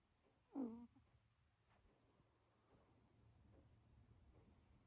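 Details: A single brief, squeaky, wavering snore or sleep-breath from Luna, a dozing British Shorthair kitten, early on, followed by near silence with faint low hum.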